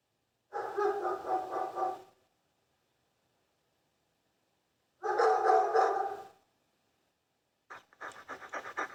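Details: Dogs letting out two extended bursts of rapid, rasping barks several seconds apart, followed by a ragged, stuttering run of quicker yaps at the close.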